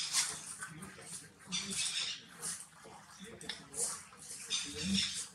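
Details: Monkeys DeeDee, Popeye and baby Polino as DeeDee tries to grab the baby and Popeye hugs it to escape; thin, high squeaky bursts recur roughly every second over faint low murmuring.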